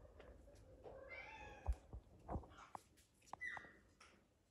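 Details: A house cat named Naomi, kept indoors among various exotic animals, lets out a clear, rising then falling meow, followed by sharp taps and knocks and a brief higher squeak near the end.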